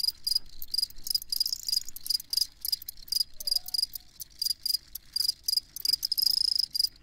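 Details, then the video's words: Close field cricket chirps, crisp high-pitched pulses in short evenly spaced groups, loud and distinct against a calm background, from a recording made for listening while falling asleep. "Crickets Chirping"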